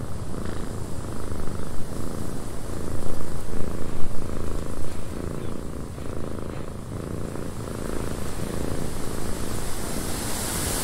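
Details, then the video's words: Purring cat inside a windy cabin: a low throbbing rumble rising and falling in loudness over about eleven seconds, heavily mixed with blustery wind. "Cat Purring in a Windy Cabin 8 Hours of Blissful Purring"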